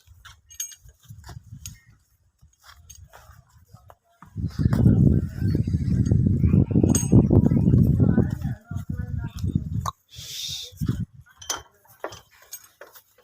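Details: Nili-Ravi buffalo in Pakistan, offered for sale. A loud, low, rough bellow runs for about four seconds in the middle of the clip. Voices and clinking sounds are heard before and after it.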